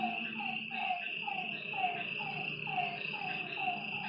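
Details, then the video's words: Night frog calls at a lakeside, clipped descending notes spaced roughly half a second apart, riding over a continuous high-pitched insect chorus and a soft low rumble. "Lakeside night creatures and frog sounds"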